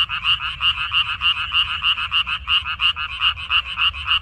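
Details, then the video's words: Water dropwort field frogs, 14 May 2021, with a close chorus of harsh, buzzy croaks beating roughly three per second, each pulse swelling and fading, neighbouring voices filling the gaps. "고향 생각 나게 해주는 개구리 소리, 미나리밭의 그놈들"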